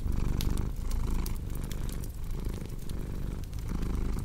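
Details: Cat purr mixed with fireplace ambience: deep continuous rumble swelling and easing with each breath, about one cycle per second, while crisp wood crackles snap over the top.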